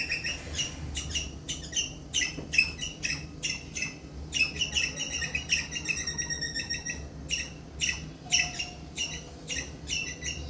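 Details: Loud squirrel distress chirping used to call in adult squirrels: dense strings of shrill, clipped chirps tumbling almost continuously, with brief gaps between runs and a steady low hum underneath.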